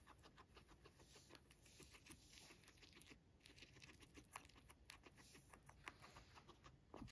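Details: Pet guinea pig named Max, a sheltie, eating fresh-picked dandelions; rapid crunchy nibbling clicks and rustling leaves in quick irregular bursts throughout.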